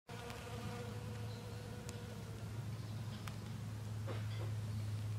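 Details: Western honey bee visiting snowdrop flowers, giving a steady low droning hum with layered overtones that holds throughout, briefly interrupted by a few faint clicks and soft background rustling.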